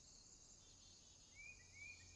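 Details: Night-time swamp crickets keep up a constant high, buzzy trill while a bird gives two short rising whistles near the end; faint low rumble underneath.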